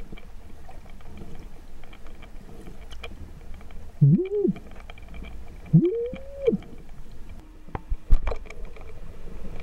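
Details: A humpback whale, one of a mother and calf met by snorkelers off Amami Ōshima, Japan, gives two arched moaning calls, each sweeping upward and then dropping back.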